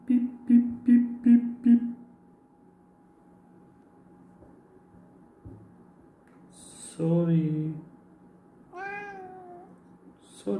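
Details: Pet cat, described as unforgiving, meows loudly indoors right after its owner apologises; a low, rough drawn-out meow is followed by a higher, wavering one, while a person repeats short syllables and says sorry.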